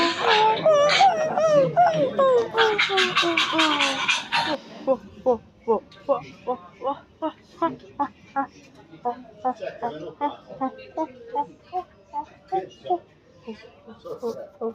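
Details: Silvery gibbon calls: a loud tangle of sliding hoots for about four seconds, then a long series of short, evenly spaced hoots, two to three each second, gradually fading.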